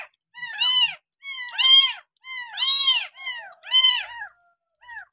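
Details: Young kampung cat rescued after being abandoned and bottle-fed milk for six days cries in a quick series of five bright, arching meows, roughly one per second, ending with a softer short meow.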